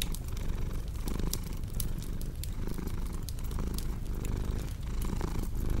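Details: A cat's purr rumbles low and close, pulsing with each breath, accompanied by crisp popping and snapping of a fireplace burning nearby.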